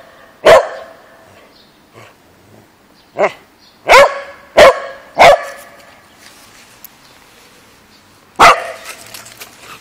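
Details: A Pembroke Welsh Corgi playing in a park gives sharp, loud barks, singly and in a quick burst of three.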